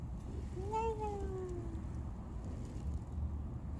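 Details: Stray cat Mameow, back home after TNR and spoken to gently by its carer, utters a clear drawn-out meow over a second long that peaks then glides steadily downward, against a low rumbling background.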